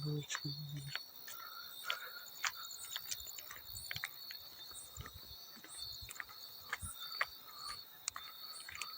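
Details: Field cricket. A field cricket gives a continuous, high, ringing trill that holds steady throughout. Irregular splashes and drips of water punctuate the cricket's call, with a brief low rumble at the very start.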